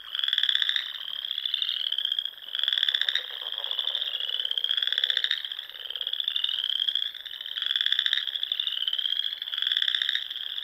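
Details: Frogs calling at dusk in spring among Nebraska Sandhills ponds; rhythmic pulsed trills recur roughly every second and a half over a constant high background chorus.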